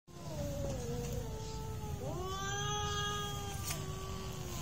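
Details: Real cat fight: drawn-out wavering yowls that slide slowly downward, several harmonic voices overlapping, then a rising, swelling howl in the second half, over a steady low rumble of background noise.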